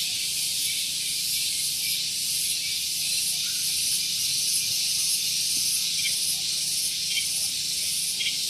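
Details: On a morning at Gunung Geulis, Bogor, West Java, a very loud cicada gives a shrill, hissing buzz that runs steadily and pulses faintly about twice each second, recorded near a parking area.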